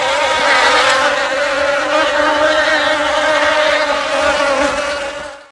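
A bee gives a steady, droning buzz that holds one even pitch throughout.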